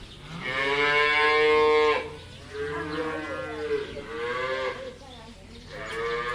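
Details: A cow on a cattle farm gives a long, loud, drawn-out moo, followed by several shorter, rougher moos.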